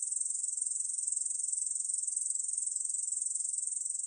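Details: Steady shrill pulsing buzz of a Korean bush cricket, recorded in 2020 by the National Institute of Biological Resources, continuous with no pauses and no background sounds.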